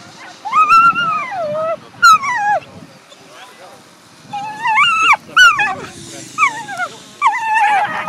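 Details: Excited whippet vocalising at the 2018 FCI European Championship, lure coursing, with Fierce Fireball Crybaby and Fierce Fireball Blaze: loud, high, wavering whines that arch up then slide down, in bursts with short gaps, mixed with sharp yelps and nearby human voices.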